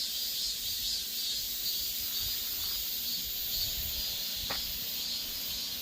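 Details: Korean cicadas sustaining a loud, unbroken high-frequency buzz with slight swells in intensity, plus a single short click partway through and soft low background noise.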